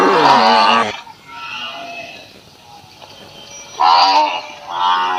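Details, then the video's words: Cattle in a village in Assam, India, with a newborn calf mentioned: a loud, rich, harmonic moo lasting about a second opens the clip, followed by a quieter stretch, then two shorter bellows near the end. "Cow sounds effect moo"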